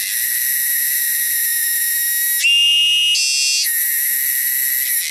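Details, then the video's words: Cicadas in the wilderness make a loud, shrill, continuous high buzz. Midway the tone briefly shifts and grows louder for about a second, then the steady drone returns. "cicadas sound"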